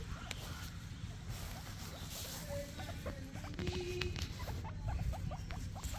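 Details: Two guinea pigs eat grass in their morning routine, giving a rapid series of dry, crackly crunches and small snipping clicks, some bunched close together, over a low indoor hum with a few faint soft tones.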